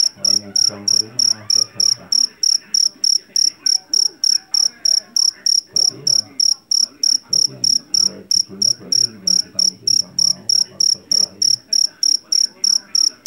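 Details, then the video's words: Shrill, metallic chirping from a field cricket called jangkrik jeliteng or jangkrik Jawa, caught in paddy fields. Chirps pulse at a steady three per second without break, with faint low background noise beneath. "SUARA JANGKRIK PENGUSIR TIKUS SUARA ASLI"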